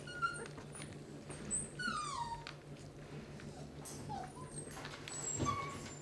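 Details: Litter of eleven 18-day-old Basset Hound puppies during their first feeding on a transition mix toward solid food, hand-fed indoors; thin high squeaks and a few sliding, downward whimpering whines over a steady low electrical hum.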